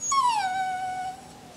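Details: Jack Russell Terrier named Coco gives one drawn-out howling whine for a New Year greeting, starting higher and sliding down, then holding a steady, gently wavering tone for about a second.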